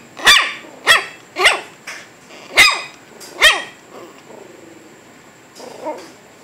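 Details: Shih Tzu puppies almost eight weeks old, from one litter, give a burst of five sharp, high yelps about half a second apart, then softer, trailing whimpers; each yelp sweeps up and down in a quick arc.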